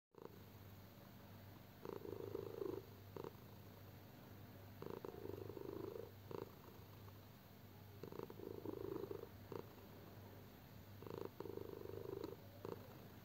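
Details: A sleeping pet cat snores indoors, soft breathy rasping bursts each lasting about a second, recurring roughly every three seconds over a steady low hum.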